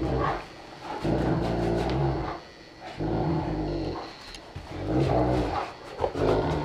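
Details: Saint Bernard parent and young, a four-year-old and a one-year-old, give deep, rumbling growls in bursts of about a second, broken by short pauses, with scuffling sounds between them.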